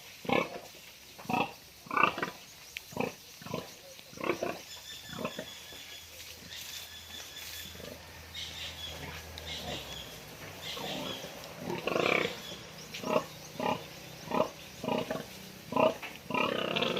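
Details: Sow before farrowing, being fed, giving short repeated grunts and squeals spaced about half a second to a second apart, with brief music and a person speaking in the background.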